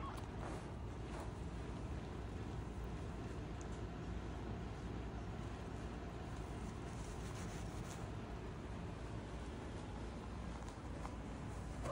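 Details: A steady low rumble like wind or distant engines, with faint soft knocks and no animal calls.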